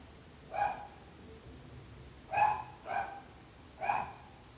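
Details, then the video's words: Dog barking in short separate woofs, four barks spaced irregularly over about four seconds, each a mid-pitched harmonic burst with quiet gaps between, part of a long run of neighbourhood dog barking. "26 minuts gossos lladrant / 26 minutes barking dogs."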